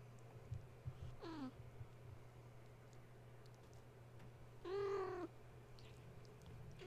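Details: Kittens of the cat Gaia, indoors at bedtime after being woken when a space heater was plugged in, playing and climbing the kennel and fence; two harmonic meows, a short falling one then a longer, louder level cry, over a steady low hum.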